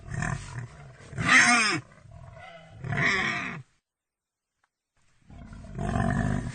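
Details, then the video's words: Pig squealing in shrill, wavering bursts over low grunting, with a second strained squeal, a pause of silence, then a rough, buzzy grunt. "Pig sounds Pig sound effect"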